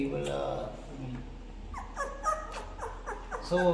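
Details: Newborn Labrador Retriever puppies on their tenth day, being weighed: a man talks at first, then short high squeaks and yelps from the pups come in quick broken bursts.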